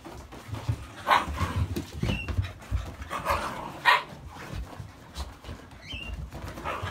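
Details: Jun, a 72-day-old Akita puppy, busy and restless indoors before bedtime, gives brief high whines and a few sharp yelps among scuffling, panting and knocking sounds.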